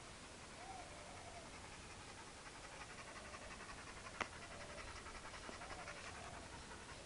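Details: Chad, a hyperactive four-year-old Labrador Retriever left alone, pants in quick, steady breathy bursts throughout, soft and rhythmic against a low background hum, with one sharp click midway and faint whining tones.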